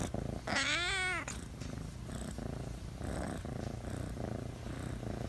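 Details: A talkative pet cat gives one bright, wavering chirping call of rapid up-and-down trills lasting about half a second, followed by quiet room noise with a soft low hum.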